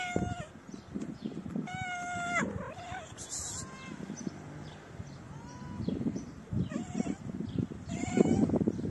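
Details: Homeless street cats in the cold, a shy female and her companion: repeated clear tonal meows, some long and level, others short and falling, coming every second or two, with brief rustling and a faint human voice.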